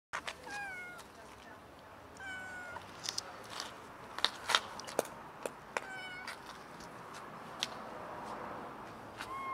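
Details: Kitten and friendly cat, tamed and affectionate, meowing outdoors: several short, high harmonic meows, some falling in pitch, scattered among clicks and taps, with a steady background hiss.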